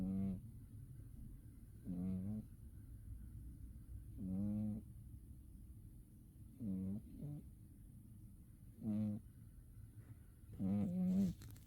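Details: Umi the cat, a pet, sleeping in winter, snores in soft, nasal bursts about every two seconds, six breaths heard, some doubled, over a low steady hum.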